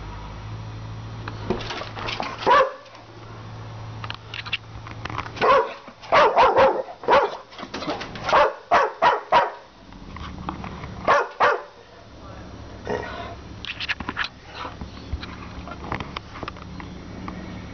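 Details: Maximus, a two-year-old red Staffordshire Bull Terrier, half English and half American Staffy, barks at his owner at Banora Point, unusual behaviour for him; bursts of sharp barks in irregular clusters, some rapid runs of four, with low background hum.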